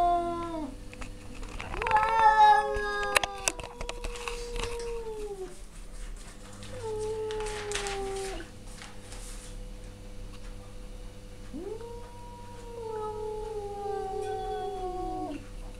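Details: Two male cats trading yowls: a harsh burst early on, then separate long sliding moans that dip in pitch, with gaps of quiet between them and a constant low hum in the room.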